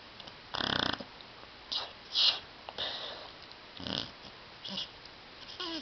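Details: Tyson, a pet dog asleep on a love seat indoors, snoring loudly and seeming to talk in his sleep: harsh, raspy, breathy snorts in irregular bursts, about five in six seconds, with quiet pauses between them.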